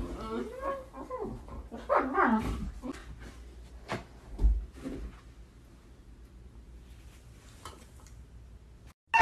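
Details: Siberian Husky, said to be crazy and hyperactive, letting out a brief burst of looping, wobbling howls during the first three seconds, followed by scattered thumps and clicks and then near quiet before a loud noise at the end.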